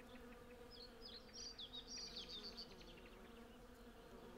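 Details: Hundreds of Western honey bees (Apis mellifera) collecting from a blossoming cherry tree hum with a steady, low, droning wing buzz, with faint high twittering and birdsong behind.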